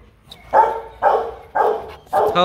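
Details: Kute Gervi, a 15-month-old Rottweiler sired by champion Bruno tí hon out of Cynia Gervi, gives four deep, hoarse barks spaced about half a second apart, each a short broad burst; faint background noise between them.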